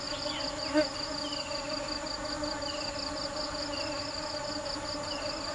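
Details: Nectar-seeking bees produce an even, sustained buzz. A brief close buzz comes early, and a quick high pulsing tone runs alongside several short descending chirps.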